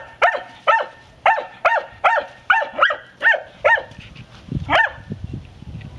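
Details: A Segugio Maremmano in training gives a quick run of sharp, ringing barks, about two each second.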